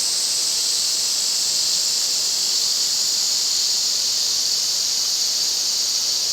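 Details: Summer forest in Shinanomachi, Nagano, Japan, filled by an August chorus of Ezo cicadas: an intense, even, high-pitched drone that never pauses, with nothing else clearly heard.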